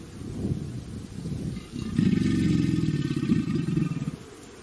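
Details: Alligator in a pond, one of three calling, grunting and growling for a mate and to establish dominance, strong enough to make water drops jump off its back: a short low grunt, then a deep, throbbing, rumbling bellow lasting about two and a half seconds.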